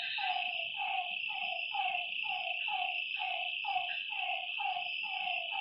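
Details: Frogs at night near a lake repeat clear, harmonic, downward-sliding calls close to once a second, several overlapping, beneath a persistent high insect buzz.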